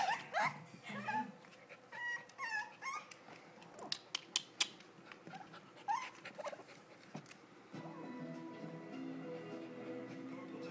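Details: West Highland White Terrier pups with their mother, a Birch Bark westie pup among them, giving thin, high sliding whines and squeaky whimpers in short bursts over the first seconds, with scattered clicks and rustles, then soft music rising underneath.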